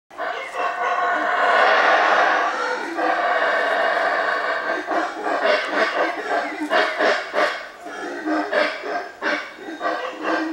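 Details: A troop of howler monkeys in central Belize, calling after spotting the observers, roar together in a loud, rasping chorus that surges and then breaks into pulsing bursts.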